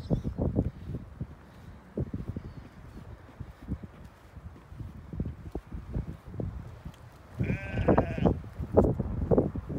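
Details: Sheep, a ewe with her lamb, being fetched; after a long stretch of thumps and handling noise, one short tremulous bleat sounds near the end, followed by more knocking.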